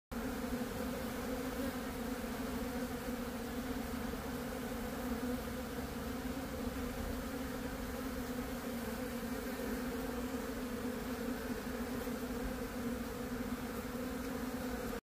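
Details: A honey bee stuck to a glove after stinging it, trying to escape, buzzes in a steady, low droning hum without a break.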